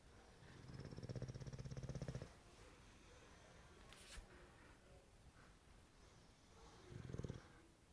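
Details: Sleeping English Bulldog, an AKC-registered male in a home office in Prosper, Texas, gives two low, rattling snores: a long rumbling one lasting over a second, then a shorter one several seconds later, with quiet room noise between.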